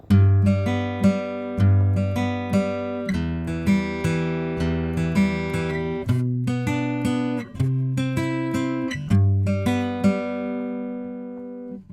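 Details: Gently strummed acoustic guitar playing a slow melody, with no animal sounds.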